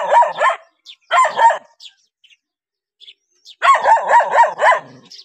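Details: Dog barking at strangers: rapid bursts of sharp, harsh barks, several in quick succession, then a quiet gap before a longer run of four or five barks.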